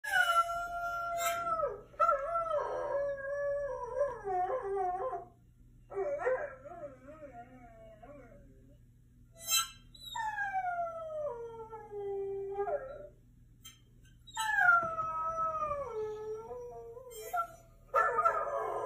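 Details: Dog sounds played from a laptop to a curious mini goldendoodle: drawn-out tonal howls and whines that slide downward, several overlapping voices in bursts separated by short pauses, with a steady low electrical hum beneath.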